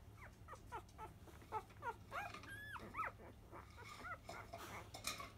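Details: Five-day-old Labrador Retriever puppies of field type at 10 a.m. feeding, born to 2017 JFA grand champion biscuit. A busy run of short high squeaks and whimpers overlaps with suckling rustles, including one longer arched whine midway.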